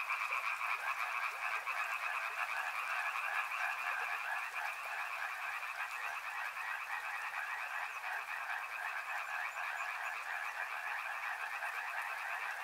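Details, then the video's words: Frogs by a river calling in a dense, unbroken chorus: overlapping rapid croaks blend into a steady mid-pitched trill that holds level for the whole stretch, with no other clear sounds. "Frog Sounds | Soothing sounds of river and frogs"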